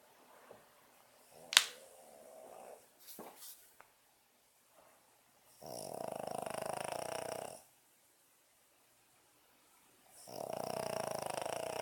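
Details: Boston Terrier asleep in a small room, with a few faint snuffles and a sharp click, then two long, rasping snores, each about two seconds of buzzy, vibrating breath separated by quiet pauses.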